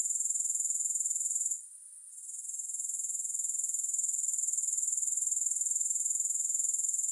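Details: Sharp, high grasshopper stridulation pulsing quickly and evenly, falling briefly quiet after a second and a half, then building back to a steady shrill trill.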